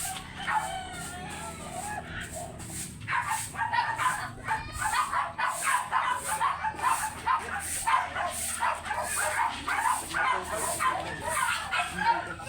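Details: Oversize American Labrador Retriever at a kennel house in Manaoag, Pangasinan, during a stud session: after a quiet start, a steady run of rapid, sharp barks and yips repeats several times per second.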